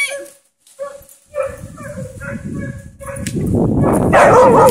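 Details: A Siberian husky trying to play with a hog gives a run of brief, nasal whines and yips at a steady pitch, ending in a louder, wavering, rising woo over scuffling and rustling, with a faint human voice.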